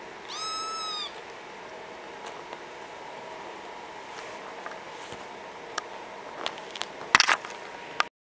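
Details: Bengal kitten playing indoors on its first day home, giving one high, slightly arching meow under a second long, followed by soft clicks, taps and rustling.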